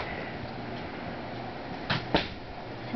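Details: A quiet indoor room with low steady background hum and two brief knocks or clicks near the two-second mark.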